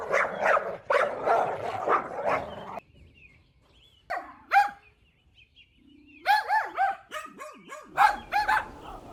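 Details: Puppies playing tug-of-war over a toy with their mother outdoors: a burst of rough barks for nearly three seconds, a quiet gap with a few soft whines, then a string of high wavering yelps and squeals.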